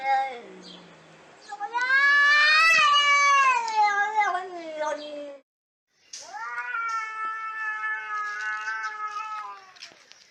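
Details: Fighting cats give a quavering, rising-and-falling yowl that builds to a loud wavering peak and then cuts off sharply. After a brief silence a second, steadier moaning growl-wail follows, with a few faint human words.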